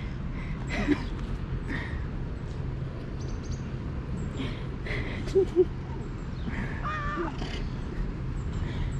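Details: Stray cats crowd around a visitor in a neighborhood cat park. A clear, drawn-out meow rises and falls near the end, with scattered softer mews, rustling, and a person talking over steady background rumble.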